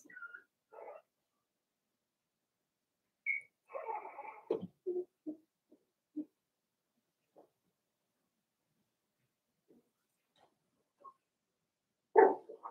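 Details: Four-week-old Cavalier King Charles Spaniel puppies in their pen, making sparse, short whimpers and squeaks separated by long quiet gaps, ending with one louder yelp.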